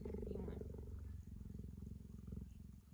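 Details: Gerda, a tame puma, purring contentedly while being petted and cuddled indoors: a steady low rumbling pulse train that runs unbroken, with a brief burst of a woman's affectionate voice at the start.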